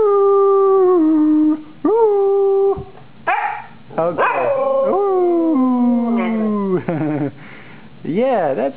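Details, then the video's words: Sumi, a female Siberian Husky, "sings" on request with drawn-out, wavering howls that slide up and down in pitch while her owner talks to her and praises her singing. "Singing Husky. Martin talks with dog."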